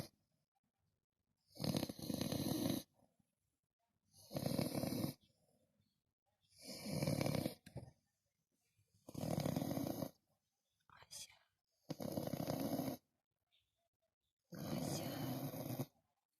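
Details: French Bulldog snoring indoors: loud, rough, broadband snorts lasting about a second each, repeated roughly every two seconds with silent pauses between, one shorter, thinner snort in the middle of the series.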